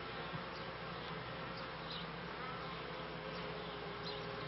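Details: Beekeeping honey bees at the turn of the 1995 and 1996 seasons make an even, massed buzzing drone with a low hum underneath and occasional soft clicks.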